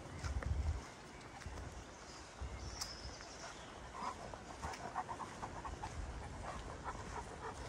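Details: Kees, a Greater Swiss Mountain Dog, panting in a forest near Ulvenhout on 17 January 2016; a loud thump opens, then rapid rhythmic breathy pants continue over low outdoor noise.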